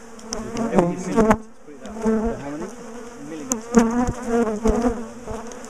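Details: Bees of a large, defensive colony hum as their top bar hive is taken apart, split and moved. The low buzzing wavers in pitch and loudness, broken by clicks and knocks of hive bars.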